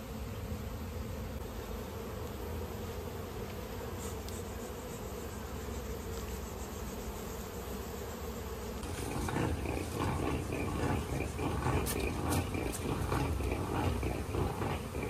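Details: Honey bees at a natural honey collection in an Indian village: a steady low droning hum that turns louder and rougher about halfway through, with crackling, rustling handling noise over it.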